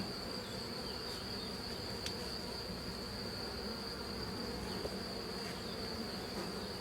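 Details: Honey bees of a drone-laying colony during a successful rescue, hive opened for cleaning, bees still calm and not very aggressive; a steady low buzzing hum throughout, a faint constant high whine above it, and one sharp click near two seconds.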